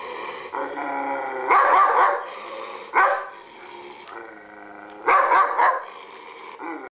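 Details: Alert German Shepherd guard dog: continuous low, harmonic growling punctuated by three loud, harsh barking bursts, about every one and a half to two seconds.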